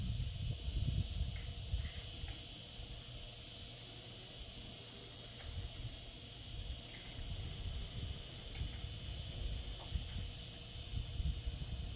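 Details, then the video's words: Summer cicadas keep up a dense, steady high-pitched whirring drone, with a few faint short chirps scattered through it and a low rumble underneath. "Cicada sounds, cicadas singing in summer."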